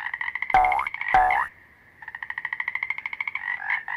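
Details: Toad calling; males vocalize to defend territory and attract females while breeding. Two loud swooping tones with a dipping, rising pitch come first, followed by a fast, steady train of buzzy pulsed croaks.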